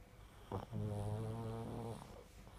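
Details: Deep, buzzing snore from a pug: a brief snort, then one sustained low droning breath with many even overtones holding for over a second before easing off into quiet room noise.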